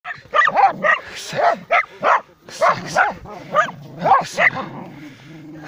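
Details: Dachshund hunting fox and badger at a den hole, giving rapid, high, excited yapping barks, roughly a dozen sharp yelps in quick irregular succession, fading into softer whining at the end.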